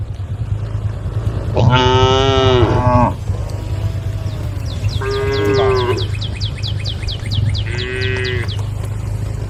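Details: Tame female cows in a group on a road beside rice fields call to the herd: three drawn-out harmonic moos, the first long and loud, the later two shorter, over a steady low hum and a thin repeated high chirping.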